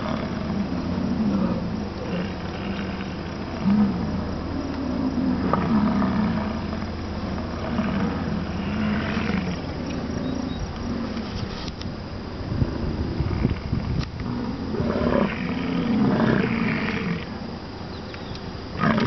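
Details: American bison (buffalo) in Wind Cave National Park, July 27, calling with deep, rumbling bellows that rise and fade over a low background hum.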